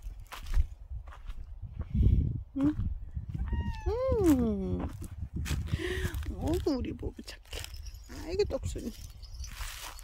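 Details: Bobae, a dog-like pet cat, gives several drawn-out, falling meows in a row, the loudest near four seconds, then shorter ones that rise and fall, over outdoor background rumble and footsteps.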